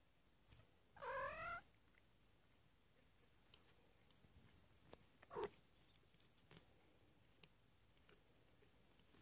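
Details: Three-week-old foster kittens indoors, a single high harmonic meow rising then falling, about half a second long, followed by a brief faint squeak near five seconds and soft scattered clicks and shuffling in a quiet room.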